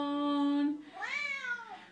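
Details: Female Siamese cat indoors, singing along as her owner sings a Les Misérables song: a sustained sung note from the person, then one drawn-out meow that rises and falls in an arch.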